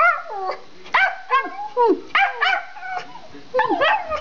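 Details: Two pet Schipperkes barking indoors while running through the house; sharp, high harmonic barks with falling tails come in quick bursts, several per second in clusters separated by short pauses.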